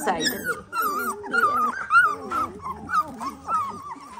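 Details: Eighteen-day-old Dalmatian puppies giving thin, wavering whines, each a short rising-and-falling cry repeated about twice a second, with softer mewing underneath.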